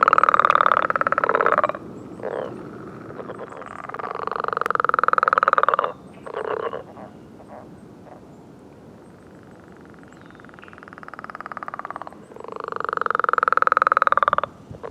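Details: Frogs giving their mating call on a millrace in the morning, many singing together: loud, buzzy pulsed trills lasting one to two seconds, separated by quieter gaps and short clicking pulses.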